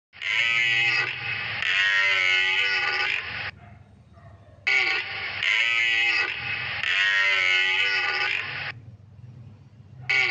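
A deer gives loud, harsh, drawn-out roars in two bouts, each made of two strained pulses.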